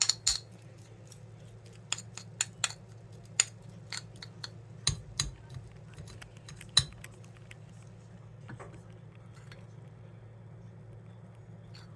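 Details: Quiet indoor room with a low electrical hum and scattered sharp clinks of cutlery and dishes, no animal sounds among them.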